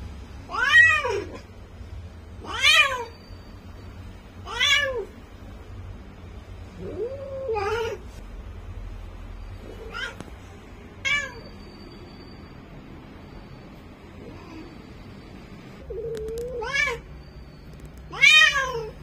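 A Bengal cat in heat gives loud, drawn-out yowling meows, repeated every couple of seconds.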